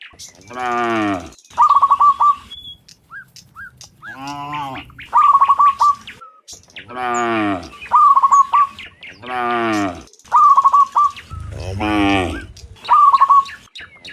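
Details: Cows mooing in the morning while returning from the field to the barn. Several long, deep, harmonic moos, each about a second long, alternate with short, repeated, high chirping bursts from another creature.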